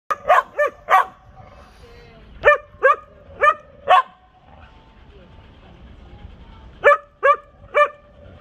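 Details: Canaan Dog and Canaan mixes communicating at a dog park: sharp, ringing barks in quick clusters of two to four, separated by short pauses, over quiet outdoor background.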